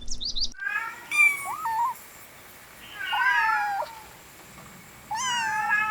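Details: Puppies playing in a garden, giving high, thin whining calls with bending, wavering pitch in three bursts, the last one drawn out to the end, plus a short squeaky cry at the start.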